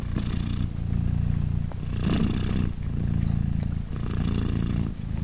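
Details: Three days after giving birth, British Shorthair queen Polina purrs while her kittens nurse; rhythmic low rumble rising and falling in roughly two-second cycles, each break marked by an airy hissing breath.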